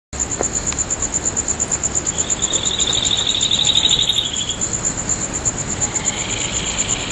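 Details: Insects calling on a full-moon night in mid-August 2011 at Nagahama, Naze, Amami Ōshima, Japan: a steady high whining tone runs throughout, and a rapid pulsed trill swells near the middle and fades, with a softer buzz toward the end.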